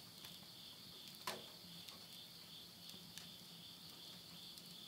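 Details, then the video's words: Night insects calling at midnight in September 2020 at the end of summer, countryside of Yurihama, Tottori, Japan: a steady, faint high trill held on two close bands, broken by sharp crackles and pops of wood burning in a stove. "the voice of insects"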